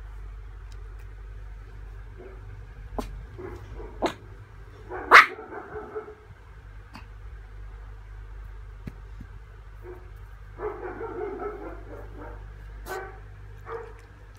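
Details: Tiny, a Pomeranian, gives a few short scattered barks and yelps, with one sharper, louder yap near the middle and a cluster of softer barks later, over a steady low hum.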